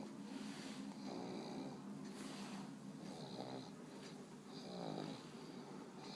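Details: Monster the pug, a sleepy dog with an eye still open, snoring indoors: rough rattling breaths in low rasping pulses, each lasting about a second, with faint wheezy hiss between them in a quiet room.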